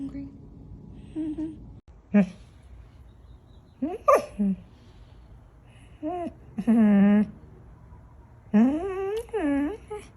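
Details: Pet dog from a compilation of 'talking' dogs making a series of short yelps and gliding, warbling moans that bend up and down like speech, several spaced bursts over ten seconds.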